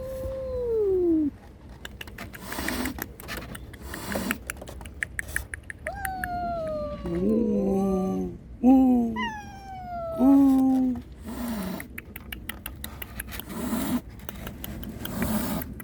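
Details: Domestic cats, a mother warning an intruder angrily to protect her kittens and kittens crying for her; drawn-out descending meows and wails, some long and wavering, others short and falling, with clicking and rustling noises between calls.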